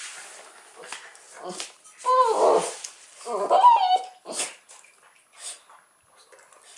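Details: Cairn Terrier aged 13 months and a 40-day-old Irish Wolfhound puppy indoors; short whiny yelps and whimpers in two bursts, one wavering and quivering, among scuffling and rustling noises.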